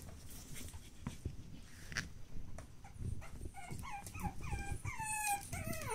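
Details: Pug puppy siblings born 10 August 2015, heard in a short run of high, thin whimpers that slide downward, each under half a second, clustered in the last half of the clip over soft rustling and handling noise.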